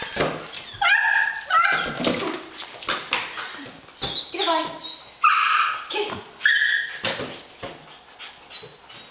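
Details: Miniature long-haired Dachshund puppy, a male, meeting a balloon for the first time and playing with it indoors; short high yips and whimpering bursts come at irregular moments, mixed with excited human voices, praise and laughter.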